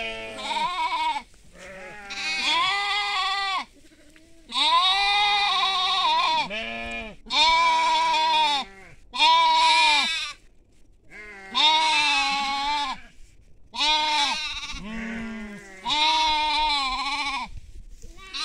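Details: Sheep and young sheep out on agricultural land, giving a steady run of loud, quavering bleats, around eight calls each lasting one to two seconds, separated by short silences.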